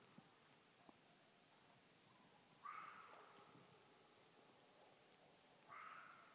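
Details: A single wild red fox screaming at night in Tennessee, about 50 yards off: two hoarse, drawn-out screams about three seconds apart, faint against a quiet background with a few soft clicks and rustles.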